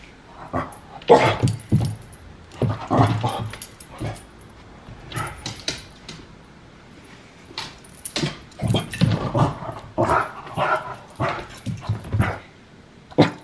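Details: Bunsen, a Puggle dog, playing with his toys in a living room: repeated short growly, huffing bursts and whimpers, clustered in quick runs with brief pauses over about thirteen seconds.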